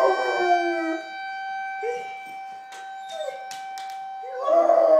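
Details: Female puppy howling out a window as the town tests its emergency sirens, Saturday morning at 11. Wavering, rising and falling howls at the start and end, over a steady, high siren tone that runs throughout.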